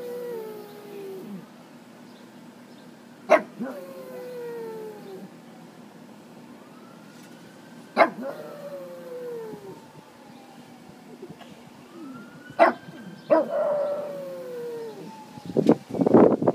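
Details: Pug. A pug gives drawn-out howls that rise slightly, then slide downward, each lasting a second or two. Short sharp sounds break in between the howls, and a burst of noise closes the recording.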